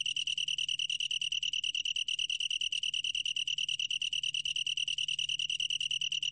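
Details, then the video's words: Long-tailed tree cricket, National Institute of Biological Resources recording from 2020, singing a high, bright trill that pulses rapidly, about ten beats per second, with an even ringing tone throughout. "긴꼬리, 여러번 듣기, 곤충소리"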